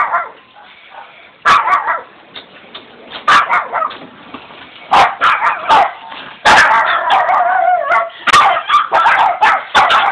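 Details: A guard-duty Shih Tzu jumps up from sleep to sound the alarm while its companion dogs back it up. Sharp barks and yips come irregularly at first, then bunch into a denser, overlapping volley toward the end.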